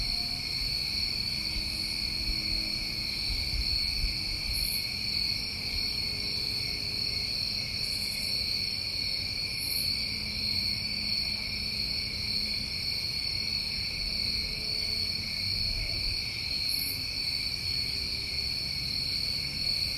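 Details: New England crickets in summer hold a continuous shrill drone in two layered tones. Sparse short higher buzzes break in now and then, and a quiet low background murmur lies beneath.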